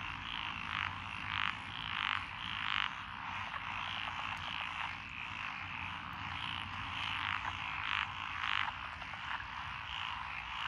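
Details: Many frogs (tree, pond, wrinkled, Schlegel's green and forest green tree frogs) calling in lotus paddies beside a rural road, Echizen, Fukui, Japan, June 2021: a thick croaking chorus broken by repeated brighter rattling bursts, faint low hum.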